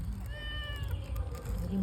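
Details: A fish-loving house cat lets out a brief falling meow early on, then quieter mewing fades under people speaking and a constant low hum.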